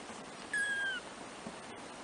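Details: One of four three-week-old black kittens, first-born of the cat Trisya, gives a single clear high mew lasting half a second, held level then sliding slightly down, against faint room hiss.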